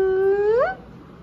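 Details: Four-day-old kitten with its mother cat and littermates, indoors: a single drawn-out, whining call that starts steady and slides upward, lasting under a second, followed by quiet room noise.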